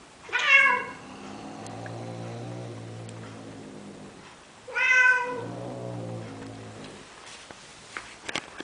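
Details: Male cat courting a female Siamese cat in Athens, Greece, trying to convince her to mate: two loud wavering meows about four seconds apart, each trailing into a long low moaning drone, with faint clicks near the end.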